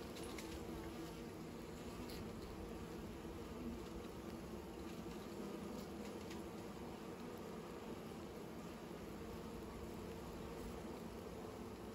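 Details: Bees making new nests: a steady, low droning hum of many insects runs unbroken throughout, with a faint rustling texture above it and no other clear sounds.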